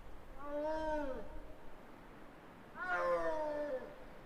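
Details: Wild snow leopards in early February, at the height of the breeding season, with two animals heading towards a gorge; typical mating calls: two drawn-out, moaning yowls, each slightly falling in pitch, separated by about two seconds.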